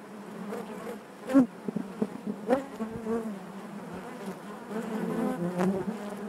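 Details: Colony of honey bees in the hive, a low harmonic drone broken by sudden loud bursts and clicks as bees brush close, then settling into a fuller, thicker buzz toward the end.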